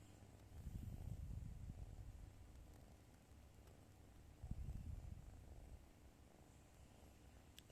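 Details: Pet white cat snoring while asleep in its owner's arms indoors: soft, low rumbling pulses in a steady stream, swelling near the first and fifth seconds, with faint room noise.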